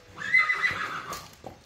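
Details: A horse gives a short, bright whinny, a quavering neigh that slides slightly downward and fades within about a second, followed by a soft thud and faint background talk.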